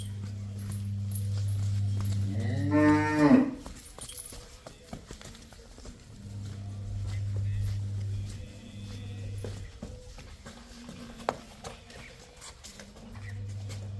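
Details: Cows at a farm where a buffalo and two cows are being offered for sale, 30-4-24: a single loud, rising moo lasting about a second, set against a steady low mechanical hum and scattered clattering.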